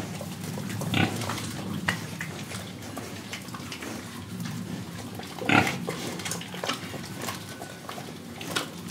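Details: Pig in Indonesia with two sharp grunts several seconds apart over steady low snuffling and faint rustling, as if rooting or eating.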